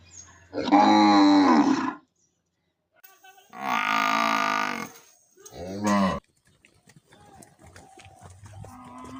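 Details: Cattle lowing in a village: three loud, drawn-out moos with rich harmonics. The first lasts over a second, a longer, steadier one follows, then a short final low. Faint rustling and scattered background noise fill the gaps.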